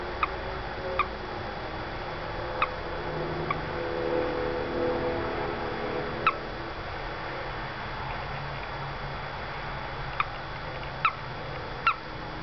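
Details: Short chirping peeps from a little male toad caught in a window well at a house, spaced irregularly across twelve seconds, roughly one every one to three seconds, against a low droning hum and soft background noise.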